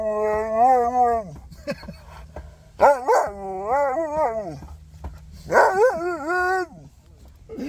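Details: Excited Siberian Husky crying with joy when he sees familiar people, giving three bouts of wavering, yodel-like tonal whines that bend up and down, separated by short pauses and faint background noise.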